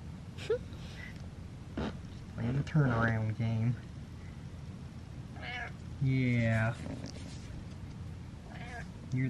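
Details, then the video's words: Domestic cat Butters meowing at home, a pet that wants to be let down and turns around as if in control; several rising-falling meows, two longer and louder, mixed with a man's soft talking and low room hum. "Cat Meows And Controls Dad"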